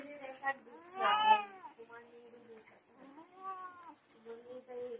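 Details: Domestic cats, desi and Persian, during mating: drawn-out, wavering yowls with rich harmonics that rise and fall, a loud harsh cry near the start, then softer moaning calls following close behind.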